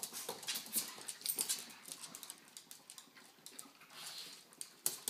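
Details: Quick, breathy panting from pet pugs Dexter and Piper as they watch over and play with a baby indoors. Rapid airy puffs come about four per second, uneven in strength, with a louder snort near the end.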